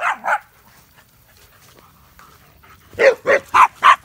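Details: Pet dogs (a German Shepherd, a Boxer and a Chorkie) playing wildly at a backyard campfire. Two quick barks open, then a quiet gap, then four loud, evenly spaced barks close together near the end.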